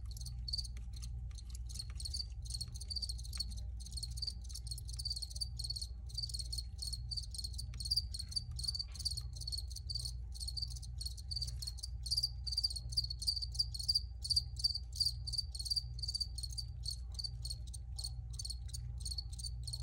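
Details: Several crickets chirp together in an original relaxation recording, shrill pulsed trills repeating densely and growing slightly louder toward the middle, with a faint low hum throughout.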